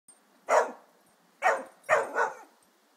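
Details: Harry, an Irish Terrier, attacking a birdfeeder that has fallen onto a lawn, lets out four sharp, bright barks: one, a pause, then a quick close group of three.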